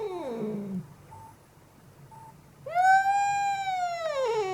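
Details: Angry cat making horrible sounds: a falling moan fades out, then after a quiet gap a loud, strongly harmonic wail rises and holds high before bending downward.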